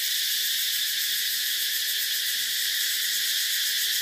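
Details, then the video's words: Loud, even cicada drone, a dense high whine with a faint rapid throb running through it and no break from start to finish. "Tiếng Ve Sầu kêu hay nhất"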